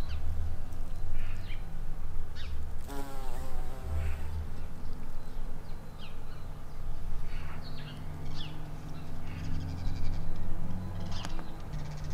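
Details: Buff-tailed bumblebee queens foraging for nectar and pollen in spring, giving a low, steady humming drone that swells and fades, with birds chirping and twittering in the background.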